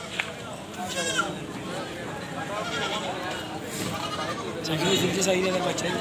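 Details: Goat screaming loudly, with quavering bleats coming in bursts, some short and some drawn out. Several callers overlap amid constant background chatter, and the level swells near the end.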